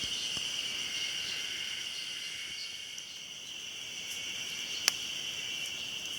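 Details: Ezo spring cicadas in chorus at Mount Hayama in Nagai, recorded 24 May 2015: steady high shrill droning with throbbing pulses, plus a sharp click near the end.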